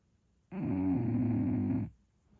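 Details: English Bulldog snoring while asleep indoors: a single harsh, rattling, growl-like breath lasting just over a second, loud and buzzy with rich layered tones, then quiet.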